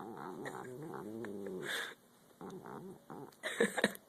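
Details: Angry cat at its food gives a drawn-out, wobbling low growl that breaks off midway, followed by brief softer grumbles and a couple of sharp taps.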